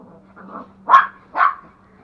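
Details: Playful toy Pomeranian barking during rough play with its companion at home in Kathmandu, Nepal; a low grumble followed by two sharp, loud yappy barks about half a second apart over a steady low hum.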